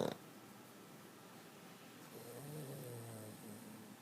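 A Boston Terrier snores with a low, rumbling, drawn-out breath.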